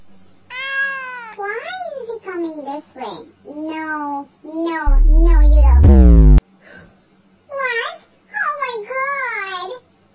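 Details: Domestic cat giving a run of drawn-out, wavering meows, some rising then falling, about nine calls in quick series with short gaps; a loud rising swoosh effect cuts in midway.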